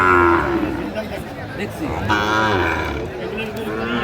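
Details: Sahiwal bull cattle at a busy livestock market in Comilla, Bangladesh, 11 February 2025; a short low moo opens, followed by another drawn-out bellow against market murmur and distant voices.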